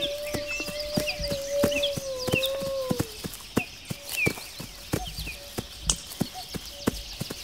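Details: Wolf howl, a drawn-out wavering tone lasting about three seconds, with high chirping birds, scattered sharp clicks and taps throughout, and quieter background afterward.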